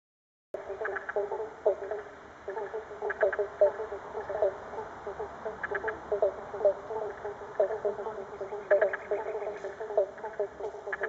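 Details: Many frogs calling in River Red Gum forest flooded by a very full Murray River in north-west Victoria, Pobblebonk (Banjo Frog) and Spotted Marsh Frog among them; a dense chorus of short repeated croaks and clicks, overlapping continuously.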